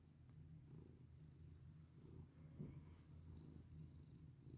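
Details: Sweet pet cat being stroked, purring in a constant low vibrating hum that swells slightly midway, set in a quiet indoor room.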